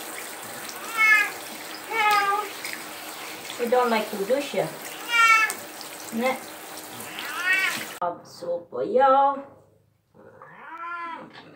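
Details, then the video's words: Domestic cat meowing repeatedly while being showered indoors behind a closed door, with loud rising-falling meows about every second or two over running water, plus a woman's voice talking to it in between. "Cat Meowing"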